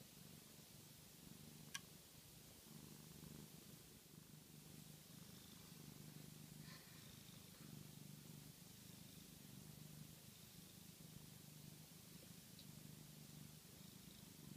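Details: Pluto the cat, purr-snoring while asleep after a catnip frenzy: a soft, steady low rumble in long pulsing bands with a faint hiss of background noise and one brief click.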